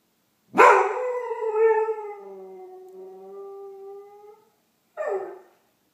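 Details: Doberman joining in with emergency sirens heard far off at 8:30am, indoor iPhone recording; a sharp onset leading into a long, gradually falling harmonic howl nearly four seconds long, then a brief bark-like yelp after a short gap.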